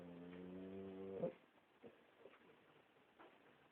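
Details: Boxer dog giving one rasping, droning snore of about a second that rises in loudness and ends abruptly, followed by soft breathing sounds.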